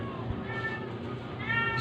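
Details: Sick stray cat, said to be dying, being force-fed to help it survive; a faint, short harmonic meow rises near the end over a low steady background hum.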